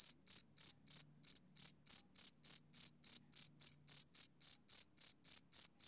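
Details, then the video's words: High-pitched rhythmic chirps from a male cricket, typical of summer evenings, roughly three to four per second with small gaps in the rhythm, nothing else audible. "Cricket Chirping Sound Effect"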